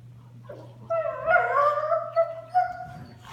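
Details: Play between Sunday, a small Doberman, and her Mastiff mix sister indoors; a drawn-out, wavering whining growl with tonal, rising and falling vocal bands, broken by short pulsed yips, over a low steady hum.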